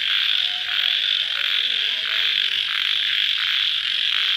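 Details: Crickets calling at night shortly after rain, mostly an even, piercing high trill with faint slow pulsing beneath it.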